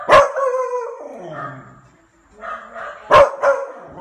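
A Beagle puppy gives sharp barks and a drawn-out, falling bay, answering barking dogs next door.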